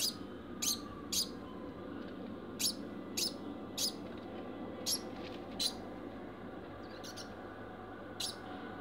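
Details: Post-mating barking from a kept degu called Bambam: brief bright chirps in irregular pairs and singles, with steady room noise beneath.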